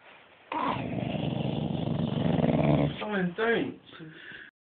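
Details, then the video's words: A dog described as speaking gives a long, rough, low growl lasting about two and a half seconds, then breaks into short wavering, whining, talk-like vocal sounds that rise and fall before trailing off. "Speaking Devil Dog"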